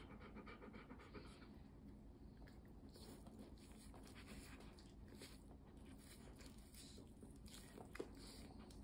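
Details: Golden Retriever pet dog indoors, trying corn for the first time and drooling while watching its owner eat; steady rhythmic panting breaths run throughout as a soft low hiss, with no barks.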